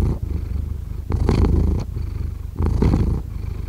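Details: Domestic cat purring steadily, a deep low rumble with louder swells on each breath, the cycle repeating roughly every one and a half seconds, recorded close up indoors.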